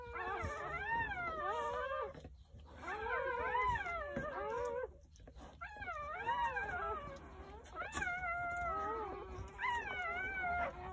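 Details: Jindo dogs at a countryside house on New Year's Day, where nine puppies were born between morning and early afternoon. Overlapping, quavering moans swoop up and down in bursts separated by short pauses.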